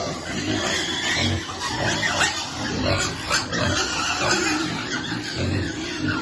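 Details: Young pigs waiting to be fed, making a chorus of low grunts and brief squeals, with several calls overlapping across the recording amid constant background noise.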